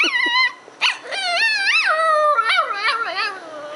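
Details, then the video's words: A young pet dog sings with a little girl indoors, giving bursts of yips, then long wavering howls that swoop up and down in pitch, followed by shorter broken whines. "dog and child barking at each other"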